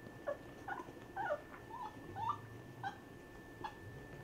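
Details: Basset Hound puppies with their mother and grandfather during a first meeting indoors; short high whimpers and squeaks come in irregular bursts, about one a second, over a steady faint hum.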